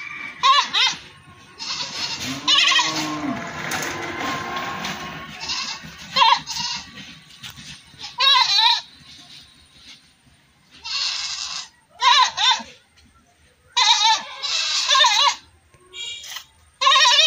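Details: Goat bleating, several harmonic wavering calls repeated through the recording, some short and some drawn out, separated by quiet gaps; a low sliding tone and background noise between calls.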